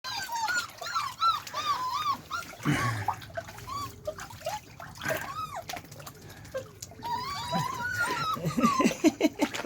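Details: Several beagle puppies learning to walk in water, giving high, thin whimpers and squeals in quick irregular bursts, with splashing and handling noise in between.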